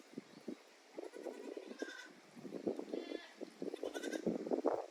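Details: Goats at Yoshigake handmade goat farm on 9 May 2024, exploring a new playground with a narrow aerial walkway, balance beam and slope; several wavering, nasal bleats ring out over a steady patter of short, low knocks and scuffles.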